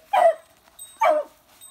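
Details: Beagle puppies, newborn nieces of an adult beagle, visited at home on Amami Oshima, Japan; two short, high, yelping barks about a second apart with faint squeaks between.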